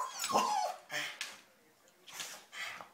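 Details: Excited terriers whimper: a thin whine slides downward early on, then several short breathy bursts follow at uneven gaps, while a person talks to them nearby.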